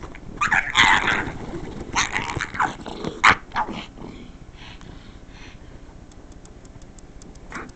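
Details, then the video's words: Roxy, a female pug who dislikes the noise of the couch being scratched, lets out rapid gruff barks and growls for about four seconds, then fades to quiet clicks and a soft final yelp. "Pug making really funny noises!"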